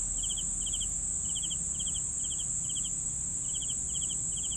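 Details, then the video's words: Crickets chirping at night for sleep: short pulsed chirps about three per second, steady and regular, over a continuous high insect trill and faint low rumble. "CRICKETS SOUNDS for SLEEPING"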